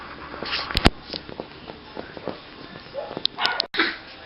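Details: Six-week-old Border Terrier puppies give brief high squeaks and short whimpers toward the end, among rustling, tapping and handling noises in a small room.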